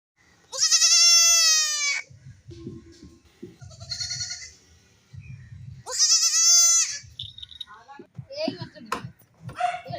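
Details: Young goats, possibly playing, give two loud, quavering, high-pitched bleats with low murmuring voices between them.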